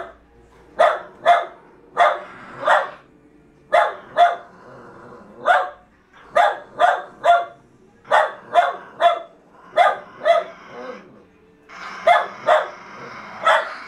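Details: Jack Russell Terriers fighting over a fallow deer's leg, the struggle continuing; repeated sharp barks in pairs and triplets, about thirty a minute, irregularly spaced, with a rustling hiss near the end.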